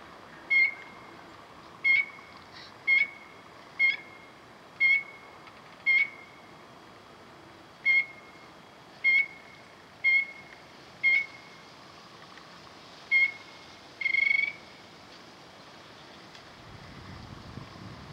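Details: Single frog calling in water, ripples spreading around him from his vibrations: a dozen short, bright, ringing pips at roughly one-second intervals with a few uneven gaps, ending in a slightly longer note, over a quiet hiss.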